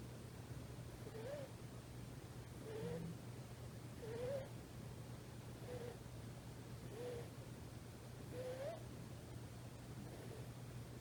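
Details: Faint whistled snoring from a rescued female tuxedo kitten named Komochi, about three months old, sound asleep on a thigh; short rising tones come on each breath at an uneven pace, with a steady low hum beneath.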